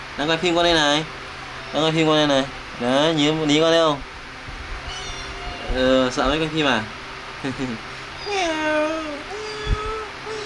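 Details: Kittens at play and feeding time give a run of loud, wavering meows in quick bursts, some rising then falling. Softer calls trail off near the end, with background noise.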